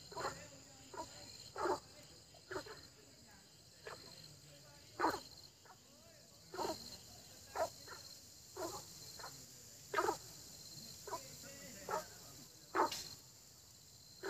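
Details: Chorus of frogs in early spring: abrupt croaks, some doubled, repeating irregularly every half second to second, with continuous shrill insect hum in the background.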